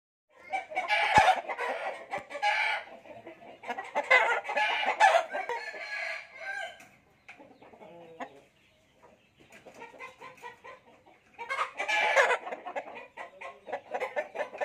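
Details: Fighting cocks kept for sale give loud, harsh, ragged bursts of crowing and clucking in three main spells, with quieter clucks and rustling in the pauses between them.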